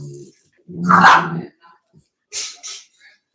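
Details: Cane Corso, an Italian Mastiff, at a breeder's kennel near Nashville, Tennessee, gives one deep, loud, rough bark of under a second. A brief low rumble comes before it, and short faint sounds follow.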